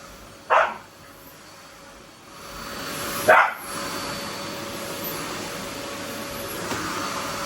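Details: Excited Labrador Retriever sharing a vacuum-cleaner battle with a Shiba Inu gives two sharp, separate barks about three seconds apart over the steady hum of a running vacuum cleaner.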